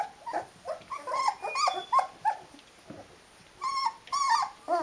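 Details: Nineteen-day-old Rhodesian Ridgeback puppies whimpering in short, tonal, bending squeaks, a busy run of small whines followed by two longer wavering cries.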